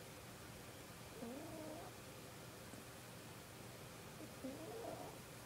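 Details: Sleeping kitten snoring softly: two faint, whistly wheezes that rise and fall, about three seconds apart, over a steady low background hiss.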